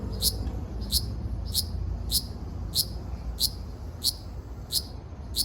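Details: Ryukyu large brown cicada, Okinawa Island, Japan, 17 June 2026: loud, crisp, high-pitched chirps about every 0.65 seconds, evenly spaced, with low rumbling noise underneath.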